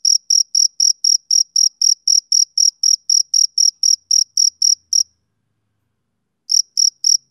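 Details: Male cricket chirping on a summer evening: high, clean pulses repeated about four times a second in a steady run, then a brief silence of over a second before the chirping resumes. No other sounds.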